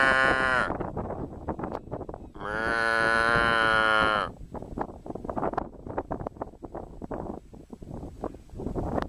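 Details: Cow giving two loud, drawn-out harmonic moos, the first brief and the second lasting nearly two seconds, over steady rattling, clattering background noise that continues after the calls.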